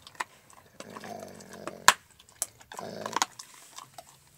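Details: Alaskan Malamute named Max eating a raw bone, giving two short, low, rumbling growls between sharp crunching and gnawing sounds of teeth on bone.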